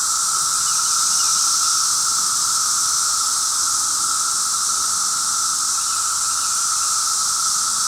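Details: Fifth day of a cicada outbreak, its din painful after a while; an unbroken, loud, hissing wall of sound sits high with a fainter steady lower whine, no pauses.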